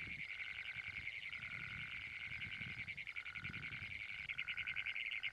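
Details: Great Plains toad calling with a long, loud, unbroken metallic trill of rapid pulses at a high pitch. A quieter, lower droning tone pulses on and off about once a second beneath it, with faint low rumbles in the background.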